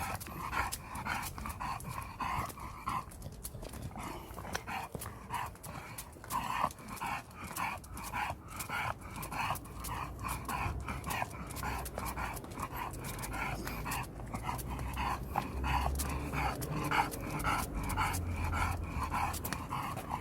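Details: Kan, a pet dog sulking on returning home from Gageodo, voices a long run of brief, harmonic, moaning pulses repeated nearly twice a second, with a steady low hum rising toward the end.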